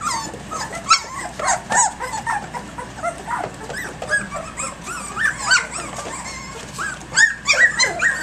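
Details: Playful three-week-old puppies in an early-morning romp give curving, sliding whines and sharp little yips, several pups calling at once in irregular bursts, some squeals climbing and dipping in pitch.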